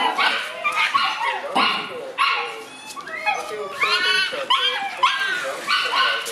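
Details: Morning whimpers from Ai, a black Shiba Inu puppy aged seven months, on her pick-up day: bright, curving, squeaky whines come one after another, each sliding up or down in pitch, in a nearly continuous chain.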